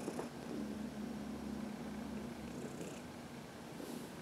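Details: Heidi, a senior cat of about 14 adopted from the Humane Society of New York City, purrs while being massaged in the sun; a steady low rumbling drone runs throughout, with faint rustling and soft touches.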